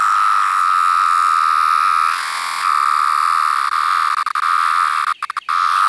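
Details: Periodical cicada, a larger 17-year variant with yellow-brown abdominal striping, filmed close up: continuous high-pitched whining tone, briefly interrupted around two seconds, then resuming with a few clicks and handling noises toward the end.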